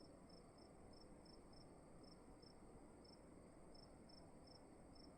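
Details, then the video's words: Crickets in a dark room at night: short, high, thin chirps spaced irregularly, sometimes in quick pairs, over a steady low rumbling room hiss with a faint constant high whine. "Sound of emptiness and crickets in the room"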